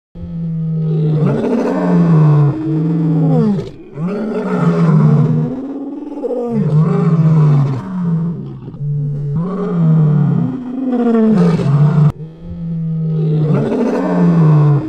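A male lion gives deep, rumbling roars in a steady series of heavy bursts.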